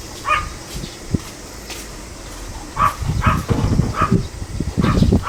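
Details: Pomeranian on 25 July 2015 giving several sharp, high yaps, with low rumbling handling and thumping noises under the later barks.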